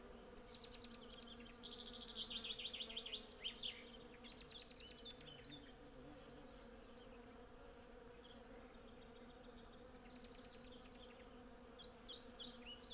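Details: Hundreds of honey bees collecting honey from a blossoming cherry tree, recorded with a Zoom F6 and Sennheiser MKH 8040: a steady low droning hum throughout, overlaid by bright chirping and trilling birdsong in the first half.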